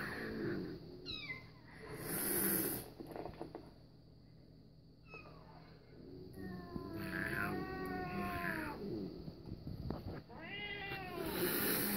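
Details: Domestic cat reacting to cat videos: several short downward-sliding meows near 1 and 10 seconds plus drawn-out wavering meows around 7 seconds, over a steady low hum and background noise.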